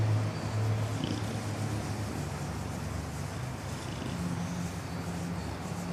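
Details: Sleeping bulldog snoring: a steady low, rough rumble that rises and falls in breathy waves, with faint background hiss throughout.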